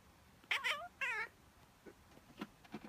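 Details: Female pet cat Miez gives her habitual response to a real or pretended human sneeze: two short, quick meows, the second slightly wavering, followed by faint soft sounds in a quiet indoor setting.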